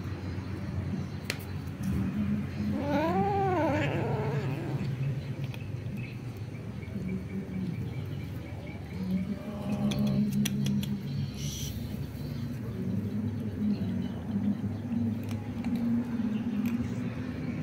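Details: Kitten being fed gives one clear, harmonic meow that rises then falls, about three seconds in, over a continuous low hum and faint handling noises.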